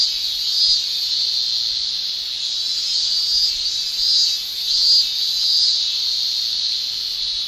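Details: Male cicadas shrilling in a Japanese summer, sound made with the tymbal: a steady, high, hissing drone that swells and fades gently every second or so, with no other clear sounds.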